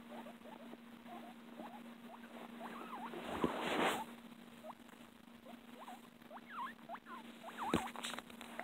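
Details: Pet guinea pig giving a string of short, looping squeaks that rise and fall, about a dozen through the clip, over a steady low hum and a couple of brief knocks.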